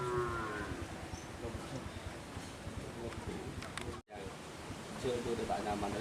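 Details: Madura cattle at karapan sapi bull race training at the Asemanis field, Pamekasan, Madura, Indonesia: a low, drawn-out moo with stacked harmonics opens the recording, then steady crowd murmur and outdoor bustle, with a brief dropout near four seconds.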